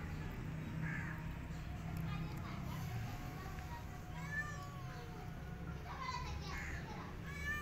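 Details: Feral cat Maya, said to look very weak after her miscarriage; thin, high mews, some rising and falling, come in scattered bursts over a steady low rumble, with faint voices and background music.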